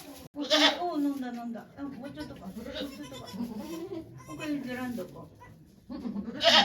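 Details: Goats at Yoshigake farm, Japan, on 3 May 2023, as Okayu gives birth to two kids with volunteers looking on: a bright, strained bleat near the start and another at the end, separated by steady human chatter.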